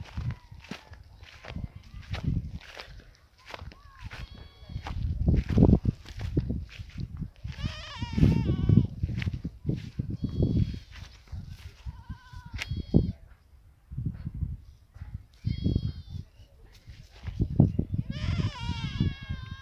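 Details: Goat eating grass, giving several quavering, wavering bleats with strong harmonics around the middle and end, mixed with people talking nearby and rustling, chewing and footstep noises close to the animal.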